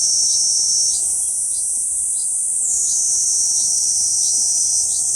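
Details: On a banyan trunk in central Okinawa Island, June 2023, a Kuroiwa cicada gives a steady, piercing high buzz that steps down in pitch midway, accompanied by faint regular chirps.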